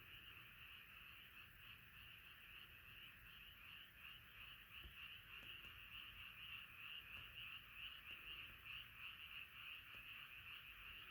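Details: Many frogs croak together in a night chorus, a dense continuous trilling band of many overlapping callers, with the pulses swelling slightly louder in the second half and no other clear sounds.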